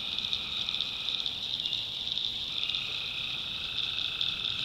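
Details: Tree frogs calling at night in a North Carolina backwoods swamp: a dense, steady high trilling chorus. Lower droning bands swell and fade underneath, and there is soft background hiss.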